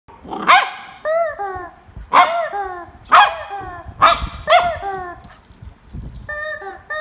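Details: Corgi barking in short sharp bursts while fighting with a chicken, the barks coming roughly once a second and alternating with higher, harmonic squawking calls between them.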